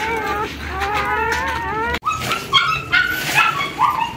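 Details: Puppies and their rescue mother, a shelter dog who gave birth in foster care: wavering, high whimpers in a steady run, a sudden cut, then brief, sharper yelping cries.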